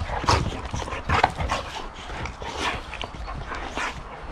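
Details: Adult boxer and a growing puppy in rough, hard play indoors; short gruff bursts, snorts and scuffling noises repeat irregularly, with a person talking softly nearby.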